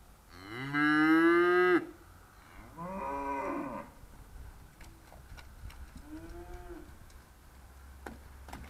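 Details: Charolais cows, trained and called by their owner in 2017; a loud, harmonic moo opens, a second softer moo follows, then a short low moo, with a low steady hum underneath.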